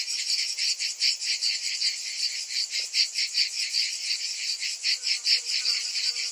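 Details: In summer heat, cicadas keep up a high, grating buzz beating in fast, regular waves, with one brief soft click in the middle.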